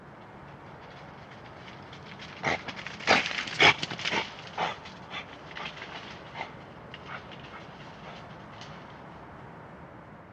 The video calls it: Badger sound ( European Badger (Meles Meles))